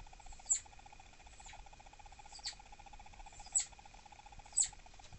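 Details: Female pet southern flying squirrel Dahan, irritable and thought to be pregnant. Four brief shrill chirps at uneven intervals, with a continuous background hum.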